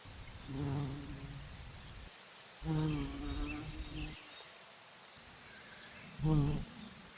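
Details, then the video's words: Bumblebee drinking nectar at flowers and flying: three loud, low, steady droning buzzes of one to two seconds each, rising and fading as it moves, separated by quieter stretches of faint background hiss. "Bee humming / buzzing sounds | Bumble"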